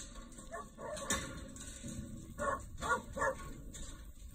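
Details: A Kelpie pup gives a short run of three high, sharp yapping barks in quick succession over a steady background hiss.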